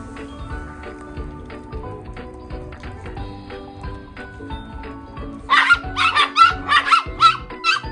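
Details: Female toy poodle playing with a visiting dog friend, the play turning into a fight. Background music plays alone at first, then sharp harsh barks burst out about twice a second over it.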